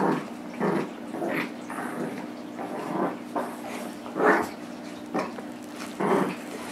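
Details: Nibbler, a 9-month-old blue Doberman Pinscher, plays tug of war with Biscuit, a 6 lb miniature Shorkie. Rough, throaty growls come in short bursts, roughly every second, with quieter gaps between them.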